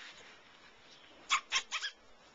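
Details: Five-week-old Labradoodle puppies from one litter; four short, sharp high yips come in a quick cluster, the last two closer together, against a quiet indoor background.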